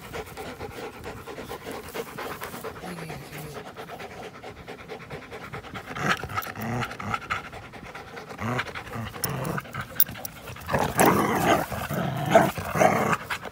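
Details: April 21, 2019 play session between an American Pit Bull Terrier and a Belgian Malinois mix: quiet, fast huffing pants at first, growing louder with scuffling and rough breathy bursts toward the end.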